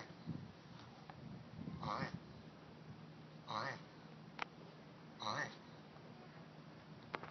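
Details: Turtles mating: one gives three short, hoarse, quacking squawks about two seconds apart, oddly duck-like, over a low background murmur and faint room noise.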